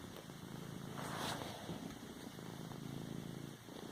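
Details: House cat massaging a pillow with its paws, purring in a low, even drone. A brief breathy rustle rises midway over faint background hiss.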